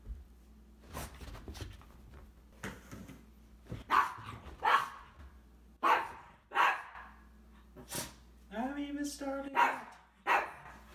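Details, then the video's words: Cavalier King Charles Spaniel named Isabelle indoors, barking at a vacuum cleaner while playing with her toy ball; sharp barks in loose bursts, some spaced about a second apart, with a human voice and low motor hum in the room. "Dog reacts to vacuum cleaner"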